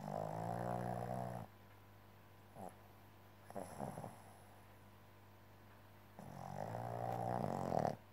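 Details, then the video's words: Tired Boston Terrier snoring in a small room: long rasping harmonic snore for the first second and a half, faint breaths in the middle, then another drawn-out rattling snore from about six seconds, over a low hum. "Boston terrier Berta is tired"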